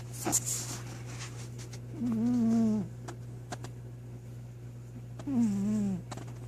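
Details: Sleeping pet cat snoring heavily, two long, low, rasping breath sounds roughly three seconds apart, with faint clicks and a constant background hum in a quiet room.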